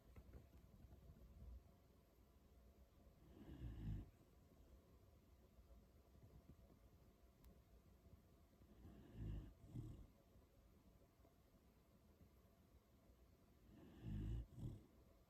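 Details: Beagle named On, one of three dogs at home, asleep and snoring: three low, rasping snore bursts about five seconds apart, each a rough breathy rumble with faint higher overtones, quiet room between them.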